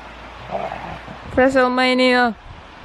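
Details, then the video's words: Husky wrestling in play with the other dogs: one steady, drawn-out whining howl lasting about a second, flat in pitch with rich overtones, after a quiet stretch of faint low murmuring. "Husky wrestling!"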